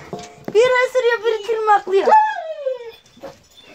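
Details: Kangal puppies: a drawn-out, wavering whine, steady for about two seconds and then sliding downward, with a short sharp yelp just before it.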